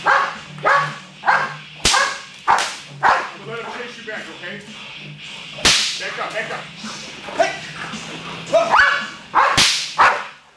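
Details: Charlie, a 21-month-old American Bulldog in Schutzhund protection training on 10-7-11, barks in rapid repeated bursts, nearly two per second, punctuated by sharp whip cracks, with music and a handler calling commands in the background.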